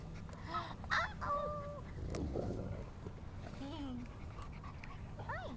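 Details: Mastiff pups Cricket and Bobby, four weeks old, whine in short, bent, whistly notes, some held level and some sliding down, mixed with a person talking softly and constant low background hum.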